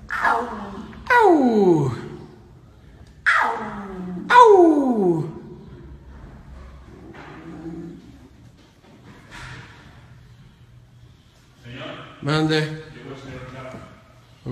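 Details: Baby lion screaming in a way likened to a crying human baby: four loud, harsh cries, each sliding steeply downward, packed into the first five seconds, then quieter murmurs and a shorter wavering cry near twelve seconds.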